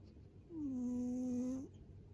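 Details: A single drawn-out, nasal snore of just over a second comes from Hotate, a heavy rescued former boss cat weighing 7.6 kg, held on one steady tone before a short upward flick, against a quiet room.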